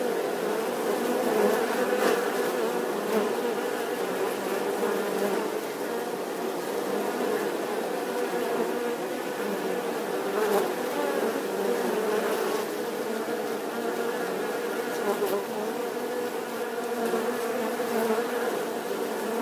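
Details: Bees humming in a long unbroken drone, the buzzing tone holding steady with gentle rises and falls in volume.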